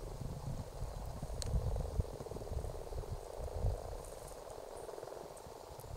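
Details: Common frogs gathered to breed in an Argyll ditch in February 2018. A soft, dense croaking chorus hums steadily beneath heavy low rumbling noise, with a few faint high ticks.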